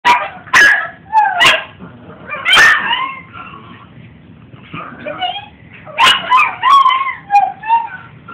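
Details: Two pet dogs barking, recorded on a mobile phone indoors: sharp, high-pitched yips and whiny, tonal barks in quick bursts, some rising or falling, with short pauses between volleys and a faint low background hum.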